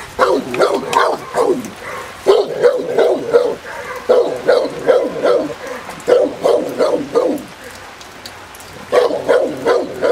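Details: Presa Canario female of the Irema Curto line during protection training at a working field in Germany; rapid, fairly regular deep barks in bursts of several per second, a brief pause near the eighth second, then barking resumes.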